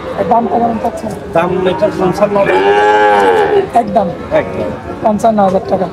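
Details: Bull calves for sale at a Bangladeshi cattle market after Eid: a drawn-out, swelling moo of about one and a half seconds, with other cattle lowing and people talking in the background.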